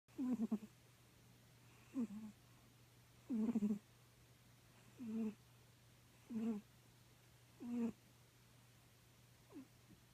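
A Bengal cat snores in soft, throaty rasps that come about every one and a half seconds.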